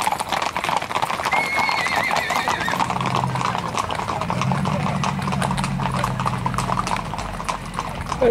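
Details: Tennessee Walking Horses on a trail ride at Shiloh, Texas: steady clip-clop of hooves, a high wavering whinny rising and shaking briefly, with people talking, a low engine hum and Spanish speech around.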